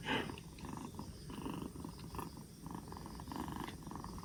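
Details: Purring from a rescued two-month-old black Bombay kitten, fourth day in care and regaining energy after a cold; a quiet, low buzzing rumble pulsing in regular breath rhythm, opening with a brief louder rustle.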